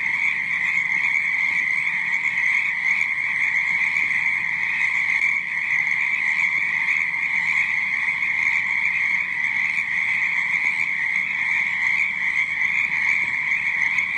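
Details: Night-time frog chorus of many animals calling at once, a continuous shrill trilling drone holding even loudness throughout, with fainter lower croaks layered underneath and nothing else audible.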